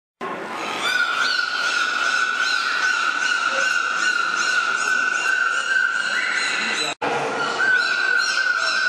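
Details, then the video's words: Captive dolphins at Zoo Duisburg, Germany, recorded in July 2010, producing sounds on command; a long, steady, whistle-like tone holds at one pitch with rich overtones for several seconds, breaks off briefly, then resumes. "Zoo Duisburg- dolphins sing"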